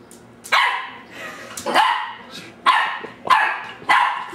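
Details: Ten-week-old female dachsador puppy, half Labrador half dachshund, barking at her reflection in glass, recorded December 2008; five sharp high yappy barks roughly every second, with faint room noise between.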